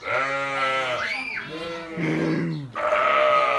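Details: Sheep giving loud, drawn-out bleats, three long quavering calls in quick succession, the middle one lower and rougher.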